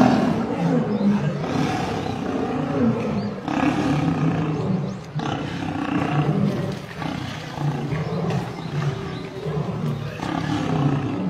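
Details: Male lion under attack by a group of lionesses, continuous deep harmonic snarling and growling in overlapping bursts, swelling and easing every second or two, with a brief drop near five seconds before resuming.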